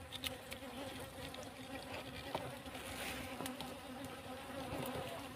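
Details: Honey bees humming around a farm plot behind cassava during comb collection: a fairly faint, even buzz under repeated clicks and rustling handling sounds.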